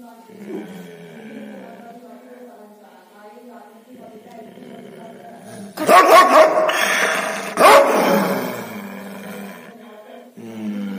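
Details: Angry dog barking: a few loud, harsh, broadband barks in a burst around the middle, with quieter human voices talking before and after.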